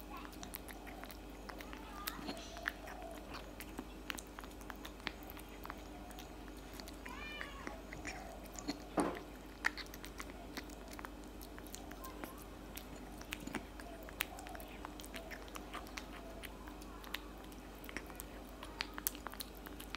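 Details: Cat eating cat food in a small room, continuous crunching and clicking bites, a brief wavering vocal sound midway, and faint voices underneath.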